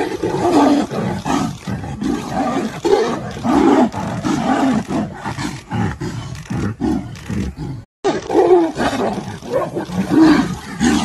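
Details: Captive tigers fighting at Balasaheb Thackeray Zoo in Gorewada, Nagpur: continuous snarling roars and growls, rough and broadband, surging and dipping throughout, with a brief gap near the eighth second before the fierce roaring resumes.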